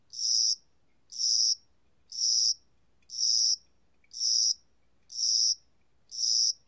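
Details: Spring-summer cricket recorded in Korea in 2020: strongly regular, high-pitched trilled chirps, seven in a row at about one per second, with a quiet background.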